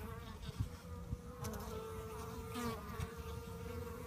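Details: Honey bees in a fight, a steady mid-pitched hum with a short rising whine and scattered taps and clicks over a low rumble.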